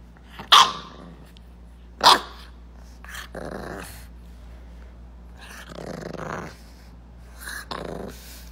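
A bulldog puppy gives two sharp, high yips, then softer grumbling growls and breathy half-barks.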